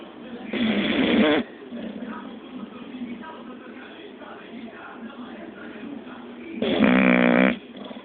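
An English bulldog snores loudly, two long rattling breaths about six seconds apart.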